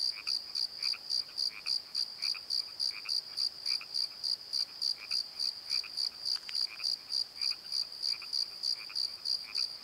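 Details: Crickets at night in a valley bottom under a tree, rapid regular high chirps about three per second, mixed with fainter lower croaking sounds and a short sharp click near the middle.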